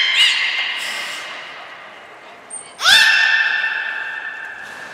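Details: Captive belugas at Nagoya Port Aquarium, filmed on 14 March 2021 while moving between pools and training (Hodoi, Taanya, Mirai): two nasal, harmonic squawks, the second rising sharply and ringing on through the echoing hall, with one brief, thin whistle between them.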